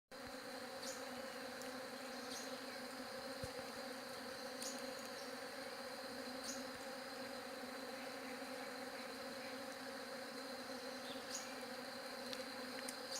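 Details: Bees buzzing: a steady, dense droning hum with stacked low tones holds unbroken for the whole stretch, under a constant high thin whine and a few faint ticks.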